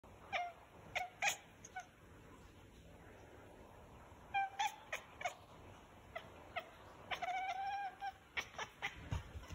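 A cat gives short, bright chirping trills and little meow-like calls in quick, uneven bursts.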